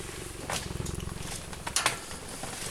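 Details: Cheetah purring: a low, rapid pulsing rumble through the first half, with a few sharp clicks and knocks near the end and quiet human voices nearby.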